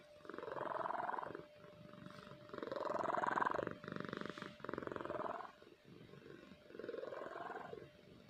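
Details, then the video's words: Sleeping pet cat Kahfi snores deeply, each rough, rumbling breath swelling for about a second then fading, repeating roughly every two seconds against a constant faint hum. "Snoring cat"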